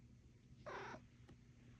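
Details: Fluffy domestic cat waking up in a cat tree gives a single short, soft meow lasting about a third of a second, over quiet indoor room hum; a person speaks to it just before and after.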